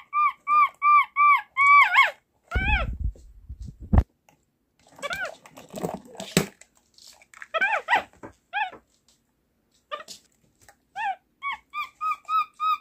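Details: Small pet capuchin monkey at home "talking", its way of communicating: long series of flat, tonal squeaks at a steady pace, interrupted by arched squeaks and a rough crackling burst, with more evenly spaced squeaks toward the end, in a small room.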